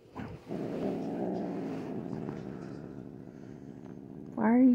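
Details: Grumpy female house cat growls continuously in a low pulsing rumble for nearly four seconds before ending in a rising, wailing yowl.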